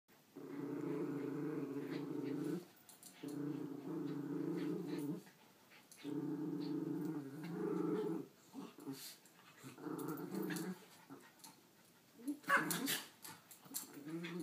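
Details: Two miniature schnauzers indoors, six-year-old female Ruthie guarding her dog bed against ten-month-old puppy Jackson; long rumbling growls in three sustained bouts of about two seconds each, then broken snarls, scuffling and sharp clicks.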